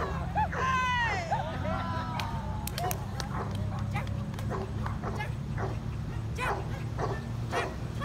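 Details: Pomeranian at agility training: a long wavering whine opens, sliding down, then sharp yipping barks follow at irregular intervals while a person speaks nearby over a constant low background hum.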